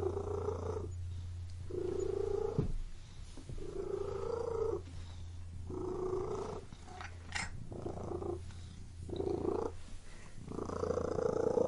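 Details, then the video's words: Continuous cat purr with rhythmic rises and falls about every second, a short sharp tick midway, and a low humming drone throughout. "WHEN CAT MEOWING AND PURRING"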